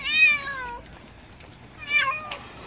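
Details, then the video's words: Stray cat back after neutering (TNR), giving two harmonic meows that start high and slide downward, each under a second long, with a faint clatter between them in a quiet setting. "중성화(TNR)하고 돌아온 길고양이 반응은?"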